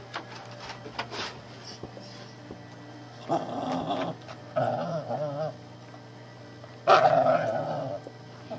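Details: Shih tzu puppy bothering the household cat, which doesn't really mind: short bursts of high, wavering puppy growls and grumbles, in three separate spells a second or so long, over a steady low hum.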